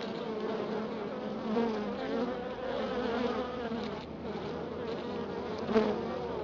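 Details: A Florida honey bee colony checked after a week of cold weather hums in steady, overlapping drones that swell and fade slightly, with a brief soft thump toward the end.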